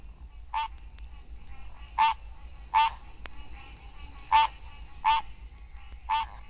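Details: In Florida, a male green treefrog (Hyla cinerea) gives its mating call: clipped, nasal, bell-like 'quonk' notes about a second apart, over a steady high insect-like hum.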